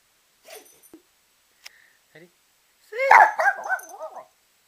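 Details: Pet Rat Terrier prompted by its owner to sing, answering with a short burst of wavering, yodelling howls after a few quiet sounds, about a second of warbling vocalising.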